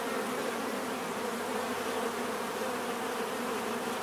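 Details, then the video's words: Bees buzzing in a dense, steady hum with a low droning tone and a brighter overtone above it, unbroken and even in loudness throughout. "bees therapy relaxing natural buzzing sound"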